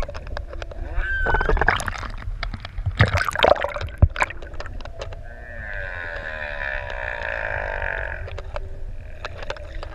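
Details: Humpback whales singing underwater off ʻEua island, Tonga, six adults playing close to swimmers; a long rough harmonic moan in the second half, preceded by knocking clicks, splashes and bubbling water.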